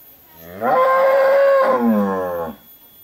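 A long, drawn-out cattle moo, steady and harmonic-rich, sinking lower toward the end.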